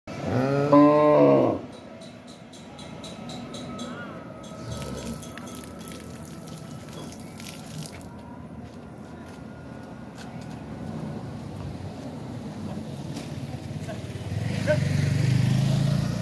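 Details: Cattle for sale at the Shilmondi Ansar camp market in Bangladesh; one loud, deep, harmonic moo opens the clip and lasts under two seconds, followed by a steady low hum, faint clicks and a rising rumble near the end.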